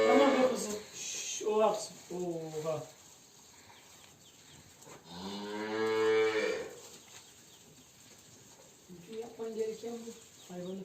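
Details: Simmental cow, one of two showing silent heat on a livestock farm and treated with a vaginal hormone device by a veterinarian before artificial insemination, gives a short moo, then a longer, drawn-out, rich bellow; voices talk before and after.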